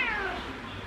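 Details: A large 6.5 kg rescued stray cat, the boss cat of the household and keen on snacks, gives a single short meow that starts high and slides downward, during a snack-begging moment.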